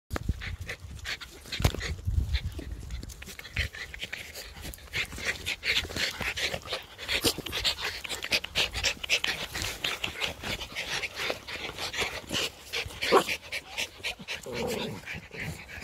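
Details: Norwich Terrier panting on a sunny day, a fast rough breathy rhythm of short noisy puffs running steadily through the whole recording, with a brief low whine near the end.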